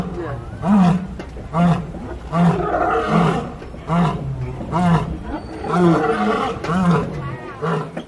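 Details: A lion roars at Disney's Animal Kingdom, recorded from a moving truck on the Kilimanjaro Safaris: a bout of deep, rasping, hoarse grunts repeating just under a second apart, rising and falling in strength, low and resonant.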